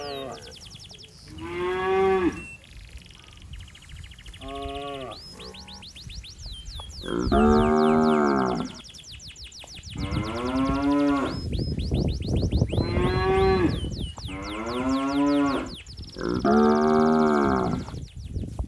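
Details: A calf calling for its mother among healthy cattle wandering a flooded rice paddy. About seven loud moos rise and fall in pitch, some short, most over a second long, over a noisy background of steady high chirps.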